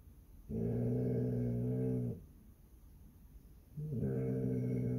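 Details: Basset Hound on Palm Sunday, watching over her home, produces two long, deep growls with a rich, buzzy tone, separated by about two seconds of quiet.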